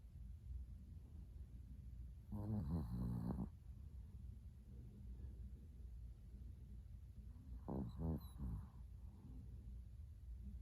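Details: Sleeping Chihuahua Latte snores in a bedroom before dawn, 05:42 on 13 December 2019, six days after adoption from a Kaohsiung pet expo. Two rasping, buzzy snores about five seconds apart, each around a second long, with soft low breathing noise between them.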